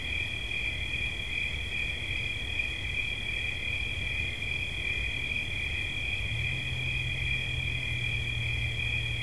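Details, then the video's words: Steady high cricket chirping, two bright tones trilling nonstop; a faint low steady hum enters toward the end. "Świerszcz. Dźwięki relaksacyjne"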